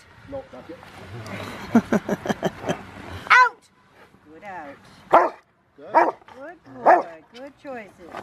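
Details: Rottweiler River v Schwarzerwald, a five-year-old male in bite training ahead of his ZTP trial, recorded January 20, 2020: a quick run of sharp barks, then several spaced, arching harmonic barks roughly a second apart, with a handler's voice.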